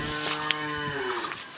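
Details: Friesian cow from Pabna, Bangladesh, four-tooth age and nine months pregnant with her first calf, giving a long, low, richly harmonic moo that holds steady before sliding down at the end, with a brief sharp click early on.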